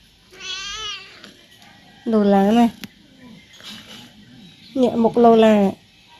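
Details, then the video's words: Indoors, a chatty male house cat asks his owner to play with three separate meows: a short high one, then two lower, longer wavering ones, with quiet rustling and soft speech in the background. "Talkative cat wants his owner to play with him."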